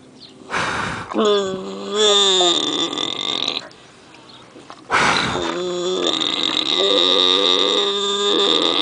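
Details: Pig snoring while dreaming at Pioneer Village, Phoenix. Two drawn-out, slightly wavering nasal snores, each lasting about one to two seconds and rich in overtones, separated by sharp, noisy breaths and a quieter pause.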